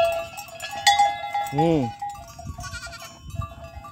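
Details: An angry big goat gives one short bleat that arches up and back down, under half a second long, over steady ringing bell-like tones and a low rumbling background.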